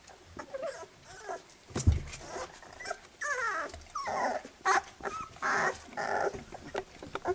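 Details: Labrador Retriever puppies being cleaned by their mother after nursing: a litter of thin, high squeaky whimpers and wavering whines overlapping in short bursts, with rustling, licking and shuffling noises throughout.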